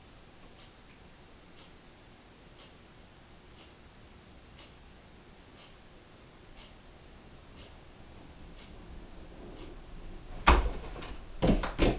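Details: Soft, regular ticking about once a second in a quiet small room, followed by a few sharp, loud knocks and thumps in the last two seconds.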